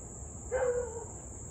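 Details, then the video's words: Siberian Husky in Louisville barking and howling for nearly 30 minutes, evening of 3 August 2021 at 6:24 pm; one short mid-pitched yelping bark with a slight rise and fall, over a steady high insect-like drone and low rumble. "Husky to barking and Howling nearly 30 mins straight."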